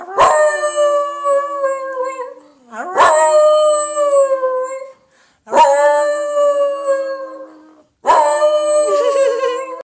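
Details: Piccolo, a dog making funny noises, gives four long howls, each starting with a sharp onset then holding a steady, harmonic-rich tone for about two seconds before fading, spaced by brief gaps.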